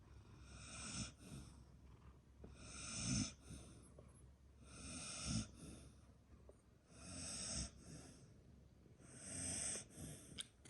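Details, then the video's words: A sleeping pet dog snoring, sharing the scene with a cat: five long rasping breaths, each swelling and fading roughly every two seconds, with a bright hissy edge on each inhale and quiet pauses between. "My dog snores!!"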